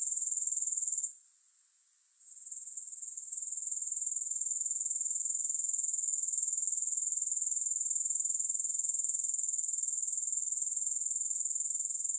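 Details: High-pitched grasshopper trilling, rapidly and regularly pulsed around four times per second, drops out briefly after the first second, rebuilds gradually over the next two seconds, then holds steady; no music or other animals.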